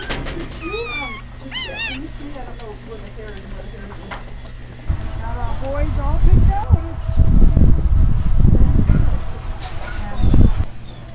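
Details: Newborn Clumber Spaniel pups in their first few hours, being resuscitated and fed for the first time: thin wavering squeals rising and falling in the first two seconds, then loud low rumbling handling noise and people talking.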